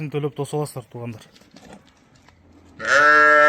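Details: Pedigreed ram offered for sale, height given as 82, lets out one loud, harsh, strongly harmonic bleat lasting under a second near the end, after a stretch of men's speech and a quiet pause.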